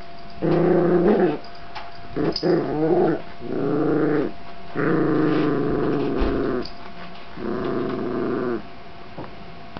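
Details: Domestic dog confronted by a barking sound from a box, later startled by a zombie dog sound: repeated sustained, rumbling growls lasting about one to one and a half seconds, five bouts with short gaps, some broken and wavering.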